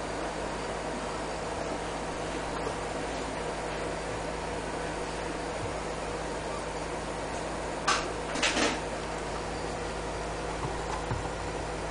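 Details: Indoor room hum from a fan or appliance, broken by a few brief knocks and clatters, and no dog vocalising.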